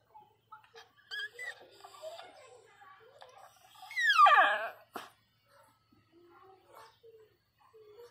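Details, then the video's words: Pinscher Teco in pain during labour, giving birth to puppies: faint whines first, then one loud, sharp yelping cry that sweeps steeply downward in pitch, followed by a click and quiet soft whimpers. A gentle voice speaks nearby. "A riqueza sentindo dor chorando alto começou ganhar filhote a parto de cachorro"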